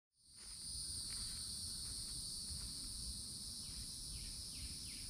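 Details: Cicadas singing in summertime at a Florida forest edge by an old oak tree: a loud, steady, high-pitched buzz that never stops, with a few quick descending chirps near the end and a low rumble underneath.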